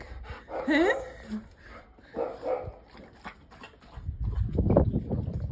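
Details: Mother and daughter Labradors romp around a garden; a short high whine rises and bends upward, followed by softer grumbling sounds and then a rush of low rumbling noise from movement.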